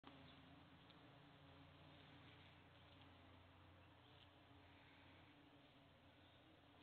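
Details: Bees buzzing in a steady, continuous low hum with layered droning tones, holding an even level throughout with no clear breaks.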